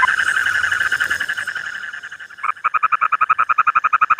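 A frog calls with a rapid, throaty trill of evenly spaced pulses, about four per second. The opening moments are a denser, buzzier chorus before the pulses become distinct.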